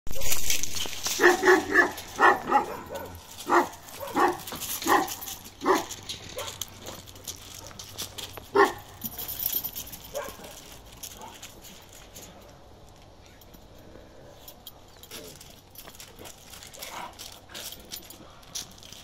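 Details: Kangal named Balyoz, a 15-month-old male with dark brindle (karakırçıl) coat, barks deeply and loudly, about one bark per second, in a run through the first ten seconds, then stays mostly quiet with a few softer sounds.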